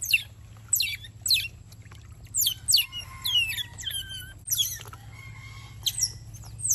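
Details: High, squeaky chirps and short downward-sliding whistles come in rapid bursts from wild otter pups as they get a swimming lesson in a garden; several callers overlap against a low steady hum.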